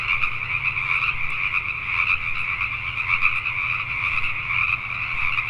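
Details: Pacific tree frogs at night in Richmond, British Columbia, Canada: a massed chorus of rapid, overlapping croaks that swells slightly in places, with a soft low hum in the background.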